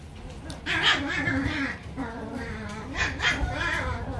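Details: Toy poodle puppy at a breeder gives two short, high, tonal whines with stacked overtones, one lasting nearly a second early on and a shorter one about two seconds later, over a low steady indoor rumble.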